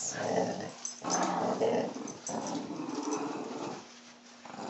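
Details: An old hound growls, annoyed during a tug of war game with its owner indoors; rough, low rumbling growls in three long bursts about a second each, with people talking nearby.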